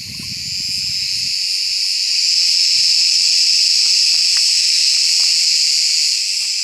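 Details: Cicada (Büyük Ağustos Böceği) singing in summer woodland once the sun is up and the air has warmed; a loud, continuous buzzy drone, steady and high, swelling in volume after two seconds, with brief low rumbles at the start.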